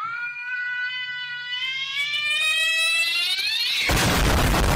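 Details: An irritated cat winds up into a long tonal yowl that climbs steadily in pitch over about four seconds, then bursts into a harsh, noisy hiss-like explosion at the end.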